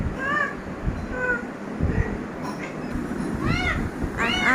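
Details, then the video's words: Domestic cat calling from outside a shut room door while trying to enter; several short meows, faint at first, then two louder, strained cries near the end over steady low background rumble. "যখন রুমের দরজা বন্ধ থাকে আর বিড়াল বাইরে থেকে ঢোকার চেষ্টা করে"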